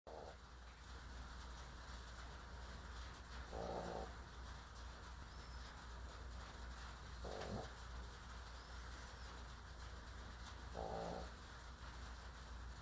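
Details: A dog snoring: soft, breathy noisy bursts come back steadily about every three and a half seconds, four in all, over a constant low hum and faint background hiss.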